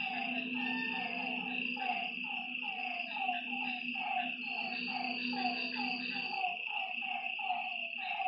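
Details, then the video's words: Frogs at a lake after dark keep up a busy, rhythmic stream of short, dropping notes, several callers overlapping. A continuous high-pitched insect whine fills the background. "Lakeside night creatures and frog sounds"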